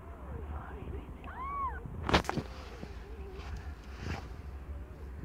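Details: During the birth of five differently coloured kittens, the young cat Aimee, under a year old, gives one clear, arched, rising-then-falling meow, followed by sharp thumps and a few faint, low mews amid rustling.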